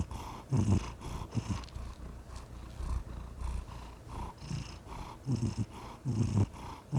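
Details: Low, rough purring from a pet cat, rumbling pulses that come and go, softer in the middle and stronger toward the end, breath-linked rhythm about once a second, quiet background.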